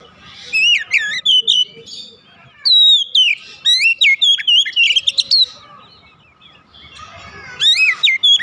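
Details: Oriental magpie-robin kept at home pours out three bursts of loud, melodious whistles with rapid up-and-down slurs and trills; faint background noise between phrases.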